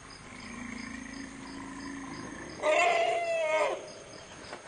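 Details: Lost infant African forest elephant searching at Dzanga Bai, Central African Republic: a steady low tonal rumble for over two seconds, then a louder, higher scream lasting about a second that slides slightly downward, over a constant insect hum.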